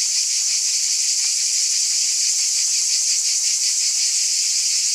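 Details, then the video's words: Many cicadas buzzing together, a steady shrill drone held at constant loudness, with a slight rapid throb running through it and nothing else audible. "Scintillating Cicadas"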